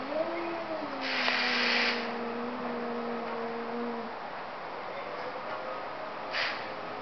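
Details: Two cats talking: a low, steady, drawn-out growling yowl lasting about four seconds and trailing off, with a brief rushing noise burst in the middle and another short noise later.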